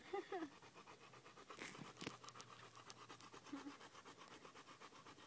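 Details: Marley, a male bullmastiff and bull terrier cross, pants after running one mile on a hot day; a few spoken words open, then rapid breathy puffs follow in an uneven string.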